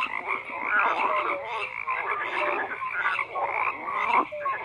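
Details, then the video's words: A frog chorus of many overlapping croaks, raspy pulses rising and falling in loudness, with brief higher whistled notes scattered among them and no other sounds. "FROGS CROAKING"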